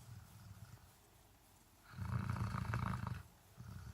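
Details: Dog snoring: quiet low rumbling breaths, then a louder rough, drawn-out snore lasting about a second, easing back into soft low breathing.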